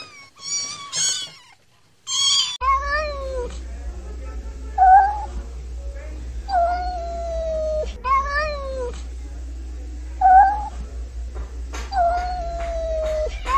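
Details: Kittens calling: a few high thin mews at first, then lower, drawn-out wavering meows repeated every few seconds over a steady low hum.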